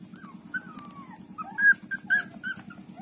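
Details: While breastfeeding from its mother, puppy Lulu gives a long falling whine, then sharp, loud yelping squeaks in a rapid burst, over a constant low pulsing hum.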